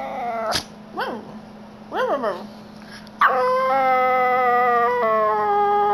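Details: Male Yorkshire Terrier, nearly seven years old, joining in when people howl; a few short rising-and-falling yips and whimpers, then a loud steady drawn-out howl holding one pitch over a constant background hum.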